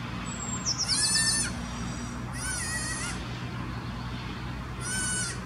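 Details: Alpine ibex newborn calling for its mother, seemingly lost, in Wildnispark Zürich Langenberg, canton Zürich, Switzerland, May 2016; three high, quavering bleats, the first loudest, a small bird's falling trill at the start and steady low rumble.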